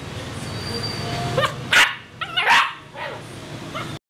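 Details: Male purebred Rottweiler from Saigon, Vietnam, giving three or four strong barks in quick succession over a noisy background, with a high steady whine audible early on.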